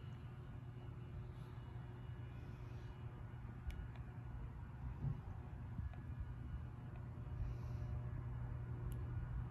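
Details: Low rumbling room and traffic hum with occasional faint clicks and distant murmurs, no audible dog.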